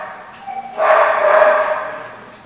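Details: Dog at The Barking Lot on 14 November 2014, one loud harsh bark lasting about a second, with a faint steady tone running behind it.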